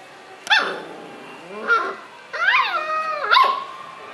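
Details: Red Toy Poodle puppy, three months old, playfully tugging at a towel, giving short high whining yelps with rising and falling tones, four separate calls over a few seconds, a person speaking Portuguese nearby.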